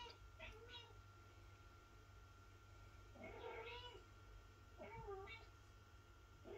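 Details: Mother cat meowing to wake her kitten and feed it, inside a room; three short, arched meows spaced a couple of seconds apart over a steady low background hum.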